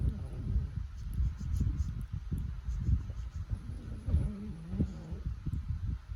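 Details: Snoring French Bulldog: deep, grumbling low breaths in quick uneven pulses, with a brief nasal, rising whistle-like tone near the end.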